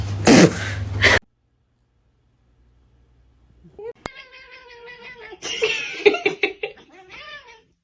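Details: Domestic kitten meowing: after a short loud burst and a quiet pause, a series of drawn-out, harmonic meows, some rising then falling, repeated irregularly over several seconds.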